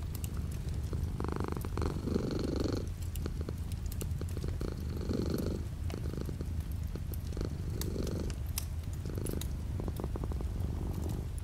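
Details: Pet cat purring indoors while light rain falls outside the window; a deep continuous rumble underlies breathy surges that come and go every couple of seconds, with gentle rain and scattered crackling ticks in the background.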